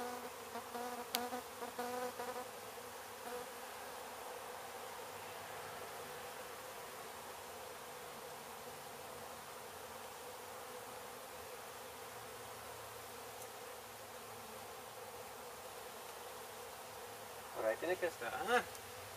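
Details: Honey bees from a hive struck by construction crews at an abandoned home being demolished in Mission, Texas, humming in a steady, dense drone that holds throughout, with a few sharp clicks and knocks near the start and end.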